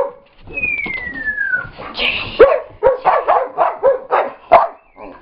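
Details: Dogs at play, Brittany chasing Chase while Gypsy joins in and Scotty grumbles: a quick run of sharp yips and barks, about three a second, follows a smooth, falling whistle-like tone and a brief noisy rush.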